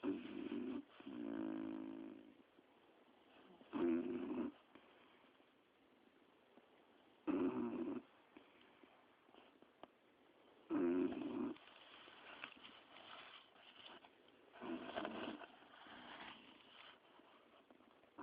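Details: Two dogs resting together on a sofa, snoring in rough, raspy bursts that recur roughly every three to four seconds, with a low hush between breaths.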